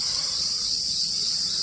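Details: Many crickets calling at a farm in a village, a dense continuous high-pitched trilling drone without pause, with faint low rumble beneath.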